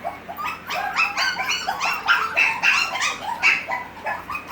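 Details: Group of six-week-old Havanese puppies indoors yipping and barking in quick, shrill, overlapping bursts, several per second, irregular and excited.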